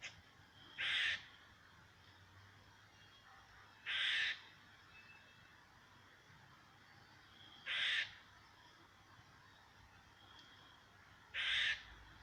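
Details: A squirrel directing noises at a cat gives harsh, raspy squawks, each about half a second long, repeated every three to four seconds.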